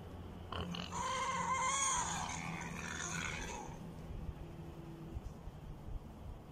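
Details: Wild boar piglet, one of a litter with a piglet on top of its sibling: a single drawn-out, wavering squeal lasting about three seconds, followed by quiet rustling and faint low background noise.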